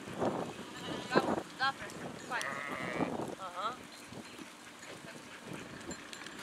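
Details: Sheep flock: one tremulous, wavering bleat held for under a second mid-clip, then a shorter quavering bleat, with people talking throughout and a few faint shuffling sounds.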